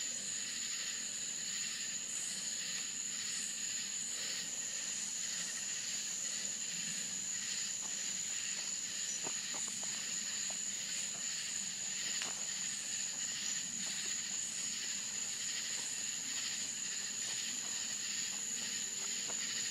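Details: Crickets at night in Florida countryside: a steady, thin, very high whine runs throughout while a denser layer of shimmering chirps pulses in rapid, uneven bursts, with a faint low hum beneath.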